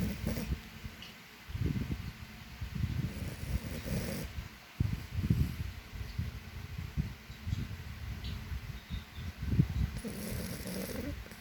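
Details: A snoring French Bulldog gives loud, low, rattling, snorting breaths, each about a second long in a steady rhythm, deep and throaty over a faint background hiss.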